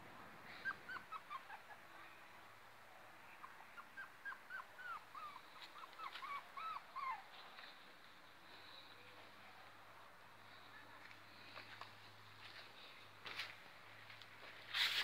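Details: Female Yorkshire Terrier puppies give rapid, high whimpering yelps in short bursts over a low steady hum.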